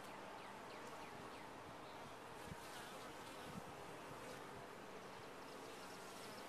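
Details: Steady, unbroken droning hum of honey bees in a top-bar hive, broad and even throughout, with a couple of soft low knocks.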